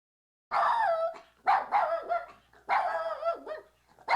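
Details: Puppy giving long, drawn-out yelping barks with a whining, howl-like pitch that wavers and falls, in three stretched bursts about a second apart, then a fourth starting at the end; quiet background.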